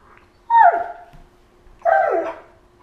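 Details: A Siberian husky gives two whiny, grumbling bursts, each sliding downward in pitch, while play fighting with a Malamute as both lie on the floor, August 2014.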